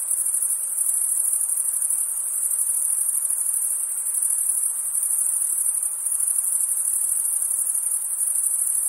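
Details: Crickets trill in a steady, high-pitched chorus that never pauses on a summer night.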